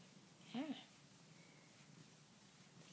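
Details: Talking pet cat indoors, chatting with its owner: a single short arched meow, rising then falling, near the start, followed by a quiet room with faint background hiss and a soft sound at the end.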